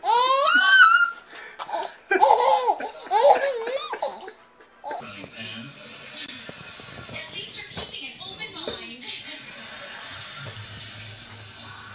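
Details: A baby's loud laughter and adult speech in a small room, then quieter background chatter and faint music.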